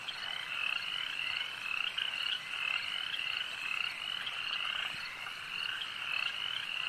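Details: Many frogs at a lake croak together in a dense, unbroken chorus of high, rattling trills that overlap and swell slightly every second or so, with no other clear sounds above the steady wall of calls.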